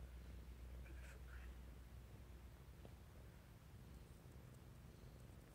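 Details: Sleeping Burmese cat giving a low, steady purr that pulses about twice a second, with a few soft clicks and faint whispery sounds early on, indoors.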